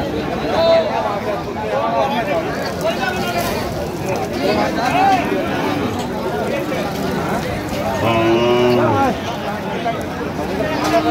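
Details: Lean milch cows traded at Ambari haat on 21 October 2025; near the end one cow gives a single deep, arched moo about a second long, between stretches of men talking prices in a noisy crowd.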